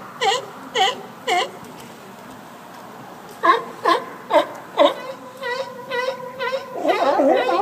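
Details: Sea lions at Fanny Bay in the Comox Valley, Vancouver Island, over Victoria Day weekend, calling while waiting to be fed: wavering, moaning wails in short bursts, then several overlapping drawn-out cries near the end.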